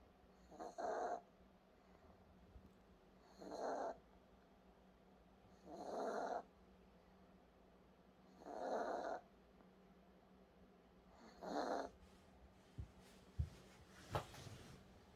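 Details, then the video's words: A dog named Sarang-i snoring while asleep: five raspy, breathy snores, each about a second long, repeating roughly every two and a half seconds, followed by a few soft clicks and rustles near the end. "사랑이 코골이 소리"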